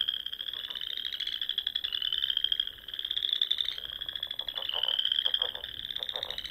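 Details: Frogs singing at dusk in spring among the rolling dunes and ponds of Nebraska's Sandhills: a dense chorus of long, steady high trills overlapping continuously, with short lower pulsed croaks breaking in near the end.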